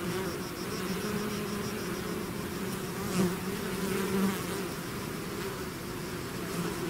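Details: Honeybee swarm pouring out of its hive: a dense, steady droning hum of many wings, low and continuous, with brief louder swells as individual bees pass close near the third and fourth seconds.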